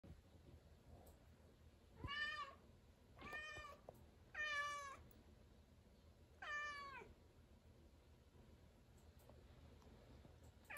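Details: Angry domestic cat meowing indoors at the ceiling: four drawn-out, harmonic meows, each about half a second to a second long, spaced irregularly over several seconds, with a quiet room background between calls.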